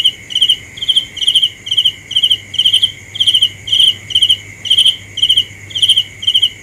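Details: Persistent cricket song of about fourteen crisp, high pulsed chirps spaced roughly half a second apart, with a constant shrill drone and a low steady hum behind it.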